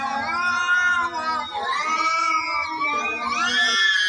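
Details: Cats fighting, giving a continuous, loud, wavering yowl with rising and falling swoops and overlapping harmonic wails throughout.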